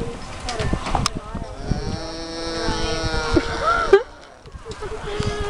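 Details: A llama (Lama glama) at a fair growls at the camera, a long, low, droning growl with a buzzy, moaning tone, while people talk nearby.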